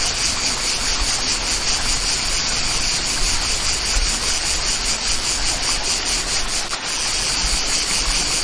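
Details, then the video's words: Steady high buzz of cicadas in the countryside, slightly rasping and pulsed, with falling water rushing beneath it the whole time and a short drop in level late on. "Chant des│Cigales"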